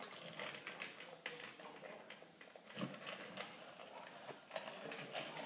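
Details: Standard Poodle eating a cup and a half of food indoors, finishing in a little over two minutes; rapid irregular crunching and clicking of kibble, roughly three to four bites a second, in a small room.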